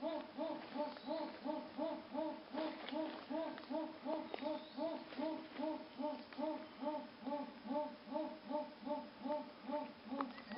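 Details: Jaguar in Pará, Brazil, giving its esturro roar: a long, even series of deep, hoarse grunts, about two and a half per second, sawing steadily for over ten seconds, with faint clicks and rustles behind.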